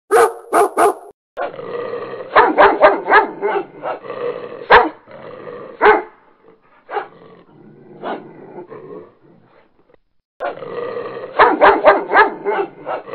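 A dog barks in rapid bursts, with short pauses between volleys.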